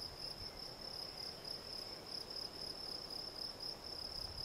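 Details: Field cricket, Gryllus campestris, singing a steady chirping song: a pure tone pulsed in rapid even chirps, about four per second, with a faint higher overtone, over a low rural background hum.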